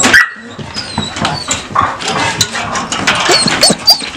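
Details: Shelter dogs in enclosures at Vinogradnoye near Gelendzhik, Russia, in November 2020, eager to walk and run; a high, thin whine opens, followed by a string of short yelping barks and brief rising whimpers over a busy background.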